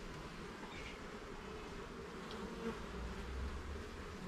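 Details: Steady buzzing of honey bees in a garden hive being inspected frame by frame, a low even drone with a slight swell near the end.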